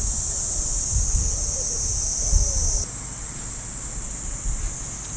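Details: Cicadas in the trees of a Japanese park on an early summer morning: a steady, high, hissing drone that drops in loudness partway through, over soft footsteps on the path and rustling.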